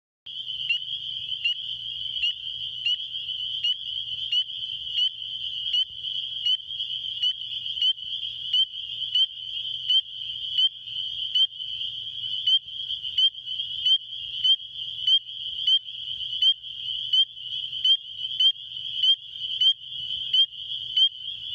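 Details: A spring peeper gives loud, high, piercing peeps, repeated rapidly over a faint low hum.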